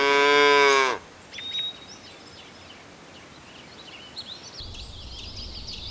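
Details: Cows searching for food across a green pasture; one deep, harmonic moo lasts about a second at the start, followed by scattered high bird chirps over a steady outdoor hiss.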